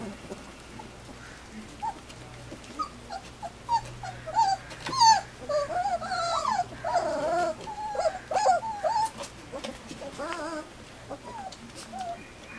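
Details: Standard Poodle puppies, three weeks old, outside for the first time and messy from their first puppy gruel, break into a run of high, bending whimpers and squeaky yelps that rise and fall, densest mid-clip, then trail off over a low hum.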